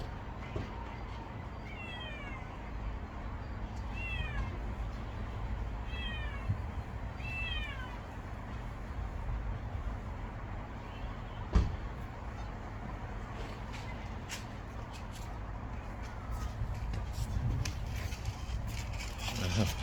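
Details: Motherless stray kitten Geumdong-i gives four clear high meows, each a sliding downward whine repeated about every two seconds, then falls quiet while low traffic rumble and occasional clicks continue.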